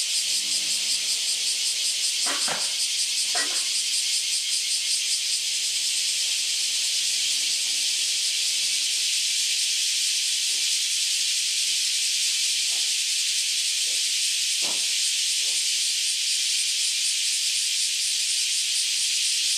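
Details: A dense chorus of newly emerged cicadas, after about ten years underground, makes a steady high-pitched hiss that fills the air without pause before they fly off.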